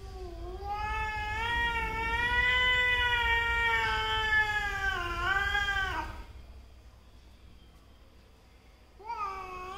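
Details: Mother and daughter domestic cats quarrelling: a long, drawn-out, wavering yowl lasting about five seconds that rises slightly, then trails off. After a quiet pause, a second, shorter yowl begins near the end.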